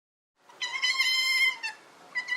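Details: Giant otter from Argentina giving a drawn-out, nasal, whining squeal rich in overtones, slightly wavering in pitch, followed after a brief pause by a shorter repeat.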